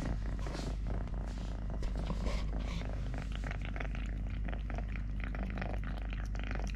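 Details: Deep, continuous purring from Totoshka, a male cat who lost a leg at birth and lives on three legs; steady low rumble throughout with soft clicks and rustles of movement nearby.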